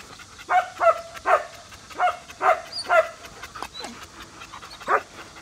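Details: Male German Shepherd about three years old at a breeding farm of old-type flat-backed working dogs; a fairly quiet run of short barks, roughly seven in five seconds and uneven, with a thin high squeak and faint background noise.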